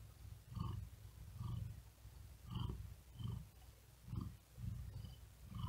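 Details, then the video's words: Tired domestic cat resting on a wooden desk in great heat, breathing quickly and with effort while purring: a low rumbling purr swelling and fading in rapid rhythmic pulses, each surge paired with faint higher breathy tones, in a quiet room. "Asmr Cat Purring And Whispering Sound"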